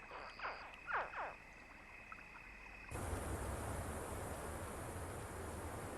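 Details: Crocodile hatchlings and their mother, just carried to the river, give a few soft, chirping contact calls in the water, brief swooping notes, followed by a steady broad hiss.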